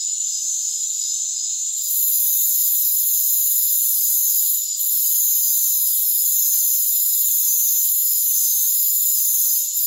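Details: Rainforest cricket chorus with tight, high ringing tones. After about two seconds an intense hissing layer swells over it and holds to the end, with one short drop midway.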